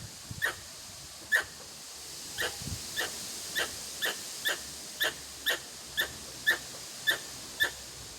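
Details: A Pallas's (Formosan) squirrel in a neighbourhood park in Kanazawa Ward, Yokohama, Japan, on June 13 gives sharp, clipped chucks repeated about every half second.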